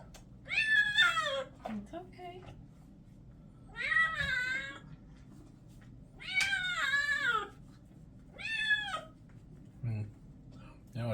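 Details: Male orange and white kitten protesting during a bath indoors, giving four loud wavering meows spaced a couple of seconds apart, each rising then sliding down, with a woman's soothing voice and splashing between them.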